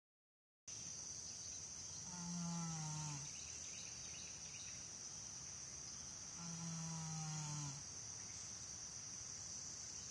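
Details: Janie, an American Saddlebred horse, asleep and snoring. Two long, low, droning snores with a voiced tone, each about a second long and about four seconds apart. A steady high insect-like hiss runs underneath throughout.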